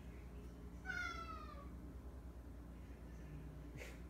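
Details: A pet domestic cat crying indoors while its owner asks why: one drawn-out tonal meow sliding down in pitch over about a second, then quiet room hum with a faint clatter.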